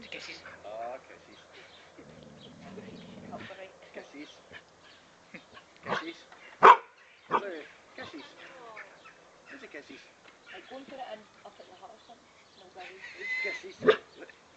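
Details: Psycho Lou, a pet dog, playing with a frog: scattered short, sharp barks and yelps, the loudest near the middle, with a few higher whining tones and human voices talking throughout.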